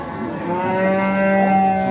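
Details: Pegon cattle at the Bekonang animal market in Sukoharjo, Indonesia; one steady, sustained moo with a slight upward bend near the end, faint music behind.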